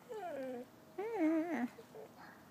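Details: A rescue Chow-Golden Retriever mix dog talks back to its owner with two wavering, yodel-like moans, the second louder and bending up and down in pitch, followed by softer whines; faint music behind.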